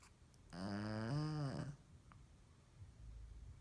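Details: A female Shih Tzu, asleep with her tongue out in her living-room bed around 10 PM, gives one loud, low, rumbling snore that wavers slightly in pitch before fading.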